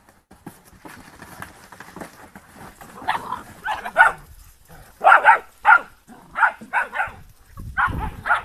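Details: Giant Schnauzer from the Blackmoore R litter: after a few seconds of soft shuffling, high yapping barks come in short bursts of two or three, about a dozen over five seconds, with quiet gaps between.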